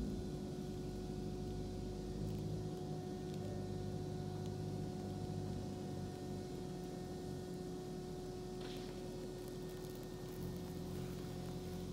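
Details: A steady mechanical hum with low rumbling noise continues throughout. No clear animal sound stands out.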